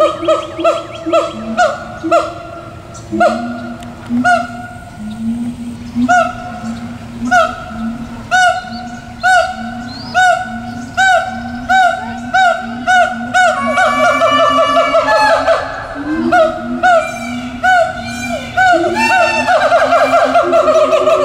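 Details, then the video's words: Captive siamangs, at least two, hooting at Tulsa Zoo on 4/2/17; rhythmic swooping hoots repeat about once a second, building toward the end into dense, loud, overlapping calls that carry far. "Siamang Serenade"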